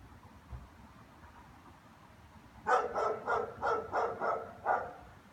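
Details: After a quiet start, German Shepherds burst into a fast series of seven harsh barks, about three per second, greeting their owner coming home from work, with light background hum.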